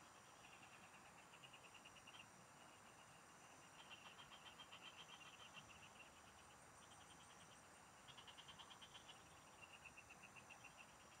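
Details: Frogs singing in the fields, recorded while fishing: several callers give short bursts of rapid, evenly pulsed notes, each train lasting about a second and overlapping, over a steady high insect hum and a soft background hiss.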